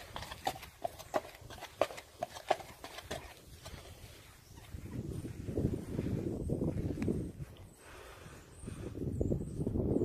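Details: Sierd, an imported Friesian horse offered for sale in North America: crisp, evenly spaced hoof strikes ring out for about three seconds, then give way to a muffled low rumble with faint high chirps late on.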